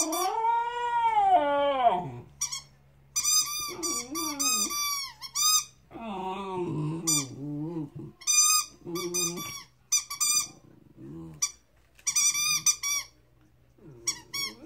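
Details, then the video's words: Chesapeake Bay Retriever puppy, 13 weeks old, howling: a long wavering, falling howl for two seconds, then bursts of high, squeaky whining yelps in short runs with brief pauses between. "Howling Chesapeake Bay Retriever 🐶 13 weeks old"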